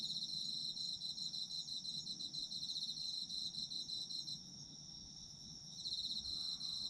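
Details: Autumn insects calling: rapid high-pitched pulses for about four seconds, a quieter stretch of steady ringing, then chirping picks up again; a faint low hum runs throughout.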